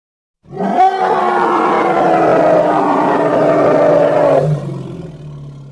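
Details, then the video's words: Hippopotamus call: a powerful, coarse drawn-out roar of about four seconds, starting with a short upward swoop, holding steady, then dropping to a faint deep rumble. "Hippo (Congo) Sounds"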